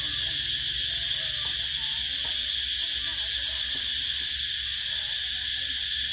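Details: Cicadas singing in summer, 2024: a constant shrill, metallic buzzing drone at even volume, with faint low warbling sounds and light clicks in the background.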